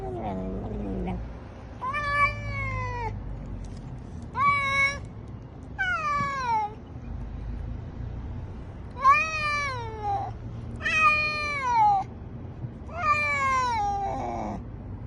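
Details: Domestic cat giving six loud, drawn-out meows, each starting high and gently falling, spaced one to two seconds apart over faint low background noise.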